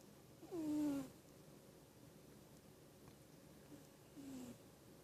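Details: Pet cat snoring in its sleep: one louder, slightly falling nasal tone of about half a second, then a much fainter one roughly three seconds later, in a quiet room.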